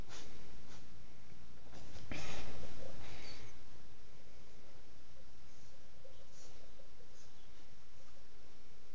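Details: Cocker spaniel sneezing: a sharp, explosive burst of noise about two seconds in, followed by softer snuffling bursts and faint voices in the background.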